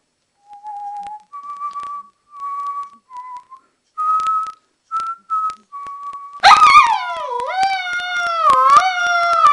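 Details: Playful two-month-old Alaskan Malamute puppy: a series of thin, level high tones with short gaps, then a loud, rich howl that dips and rises, wavering through the final seconds.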